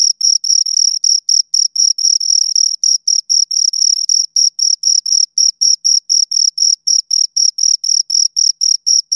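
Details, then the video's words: Two crickets stridulating nearby, a rapid run of sharp high-pitched chirps about four per second, sometimes blurring into brief continuous trills, clean and without background noise. "Two Crickets Chirp Sounds"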